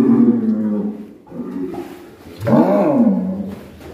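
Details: Black bull, described as mysterious and raging, in Alas Purwo village, bellowing with a long falling harmonic moo, then a second rising-and-falling bellow after a short pause, in an enclosed space.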